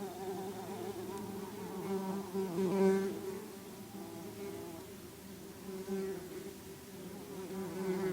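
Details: Bumblebees returning to their nest of cocoons after it was disturbed. A low, continuous wingbeat drone with gentle rises and dips in loudness, and a short louder swell near the third second.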